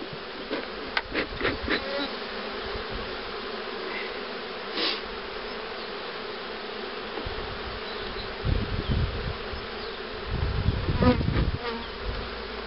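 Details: Humming of honey bees at hives readied for queen rearing, including the cell-starting hive, 2013; steady drone with quick clicks early on, a knock midway and low rumbling handling noise later.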